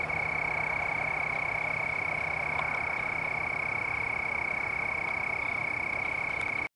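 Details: Crickets near plants with leaves and red berries along a trail at Dillon Nature Center, Hutchinson, Kansas, on November 7, 2009: a steady, high, continuous trilling pulse without pause, over faint background hiss.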